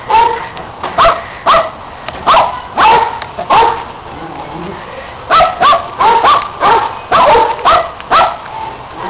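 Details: Dogs barking while playing and chasing a red Kong toy, with a neighbouring dog adding barks: sharp barks in quick clusters, some in rapid doubles, with brief pauses between bursts.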